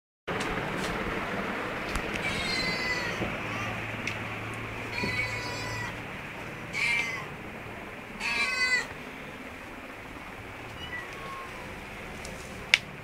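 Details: Mother cat with her kittens in an office store room; several soft, thin meows with rising and falling harmonics come at uneven intervals over a steady background hum, with a louder, buzzier cry near the end.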